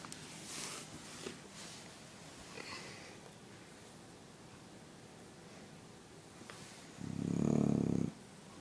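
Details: Bulldog Spike asleep, letting out one loud, low, rattling snore near the end after several seconds of quiet room noise and faint rustles.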